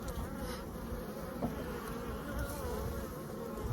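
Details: Captured honey bee swarm being moved into a hive with capped brood frames; steady dense droning hum with a faint wavering tone, beekeeper handling frames nearby.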